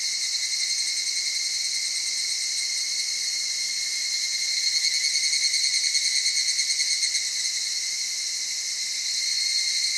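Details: Dawn or dusk evening cicada sound from cedar forest near mountain streams in Okutama, Tokyo, Japan: continuous high-pitched insect chorus, with a pulsed, rippling swell from about four to seven seconds.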